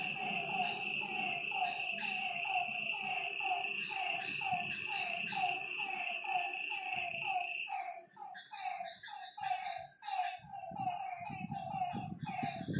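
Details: After dark by a lake, frogs repeat quick downslurred calls in a steady rhythm. The insect trill drops away partway through, leaving the frog notes clearer among soft low thumps.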